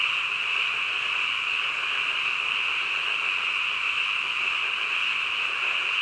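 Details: Frogs at night in a thick, constant chorus, a bright droning trill without pauses. The individual calls blur into one even wall of sound for the whole stretch.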